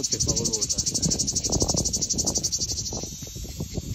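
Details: Cicada singing in a high, rasping buzz pulsed roughly four times a second, steady and continuous, while Italian speech runs beneath it.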